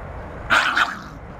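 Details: Great Dane puppies being scolded by adult Great Dane Crazy Redd, with big sister Wanda present; a single short, sharp bark of two quick pulses lasting under half a second over a quiet indoor background.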